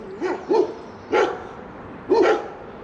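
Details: Two German Shepherds guarding a tree swing across a bridge near Coaltown of Balgonie, Fife, Scotland, bark at a passing stranger in deep, hoarse barks roughly once a second.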